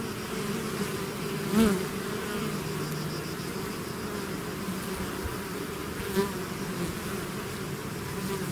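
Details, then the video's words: Bees swarming out of their hive produce a thick, steady drone; two brief louder buzzes pass close by, likely single bees flying near, over the constant hum. "bees therapy swarm natural buzzing sound"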